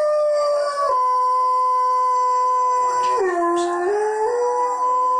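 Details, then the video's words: Blade, a pet Alaskan Malamute, joins a televised wolf chorus with a loud sustained howl, held level, then dropping sharply in pitch, wavering low, and climbing back to the original note. "Malamute joining in with wolves on Tv"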